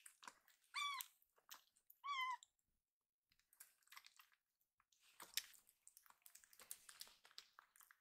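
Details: Rescued baby kitten, said to cry a word like 'iru' ('I want'), loudly meowing to ask for more food indoors: two clear, rising-then-falling harmonic meows about a second apart, followed by chewing and clicking noises.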